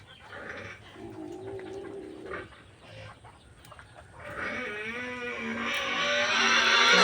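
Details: Domestic goats raised on a Philippine farm, fed peanut leaves. Quieter murmuring and voices come first, then a loud, quavering bleat with a wavering pitch that swells steadily louder over the last three seconds.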